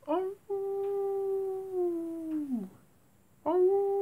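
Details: Night-time wolf howl: a sustained, steady tone held about two seconds that bends downward at the end, followed by silence and the onset of another howl.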